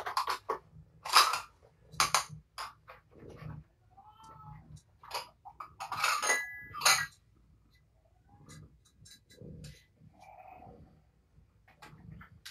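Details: Kittens from a litter of five, four males and one female, born to Patience after her surrender to Purrfect Pals, at evening dinnertime. Short tonal meows rise and fall among sharp clinking, tapping and feeding clatter indoors.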